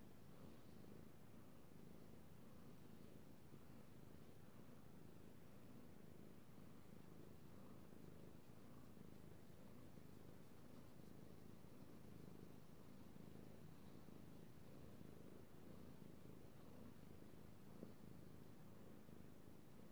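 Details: Pet cat purring contentedly as it is petted indoors, a continuous deep rumble sustained evenly throughout with faint soft rustling above it.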